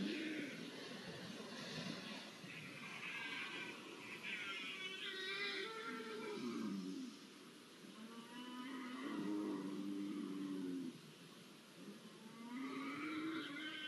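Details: Iberian lynxes mating, recorded 5 January 2024: drawn-out, wavering yowls and moaning cries that rise and fall, repeated in several long bouts with short quiet gaps, at low volume.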